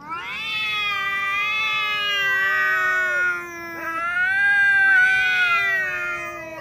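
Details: Two domestic cats quarrelling on meeting, one named Xiaohui, who holds back with tail tucked; long drawn-out wailing yowls with rich harmonics, wavering and sliding in pitch, overlapping voices sustained for several seconds with a brief break midway.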